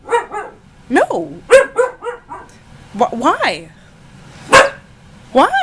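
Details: A young husky named Ankita, nearly a year old and in a rebellious mood, talks back in rising, arching whiny howls and quick yips, a human voice trading lines with her.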